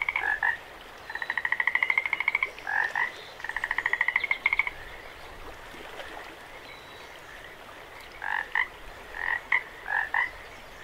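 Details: Frogs at Jacobs Creek give rapid pulsed trills, two long rattling trains of about a second each, then short quacking notes, over the steady rush of the running creek.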